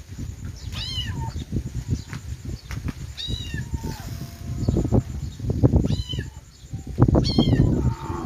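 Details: Kittens meowing: about five high, thin, arching meows, each bending up then falling, spaced irregularly over several seconds, over steady low rumbling and knocking noise.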